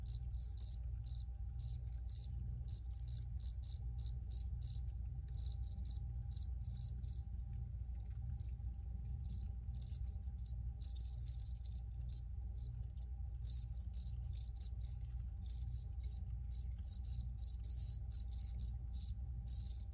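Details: Several crickets chirp steadily, dense rapid pulses in overlapping bursts with a short lull near seven seconds, then resuming thickly; low droning background noise and a faint steady hum underneath.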